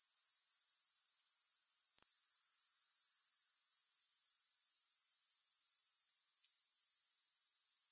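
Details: Unbroken shrill trilling of grasshoppers, no music, a very high thin buzz made of quick regular pulses that stays level and continuous from start to finish.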